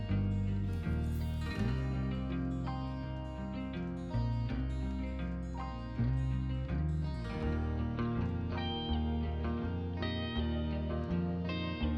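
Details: Plucked guitar music with steady low bass notes plays throughout, with no animal sound audible.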